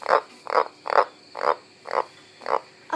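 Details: Goldeneye green tree frog found in a garden, giving short harsh croaks repeated about every half second, seven evenly spaced pulses, steady rhythm with little else heard.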